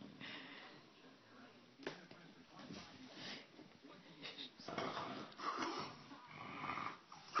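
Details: An English Bulldog being silly snorts and wheezes in raspy, irregular bursts, with a human voice faintly behind.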